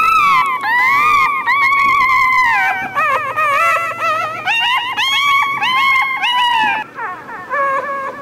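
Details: Young dog crying with a stream of plaintive, sliding whines, each swelling then dipping in pitch, some climbing higher toward the middle, ending in softer, shorter whimpers after a brief lull.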